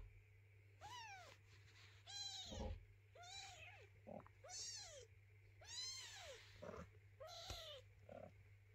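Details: Hungry kitten meowing insistently while its mother cat tells it to eat; clear curved meows rising and falling about once a second, with soft thumps and a low background hum.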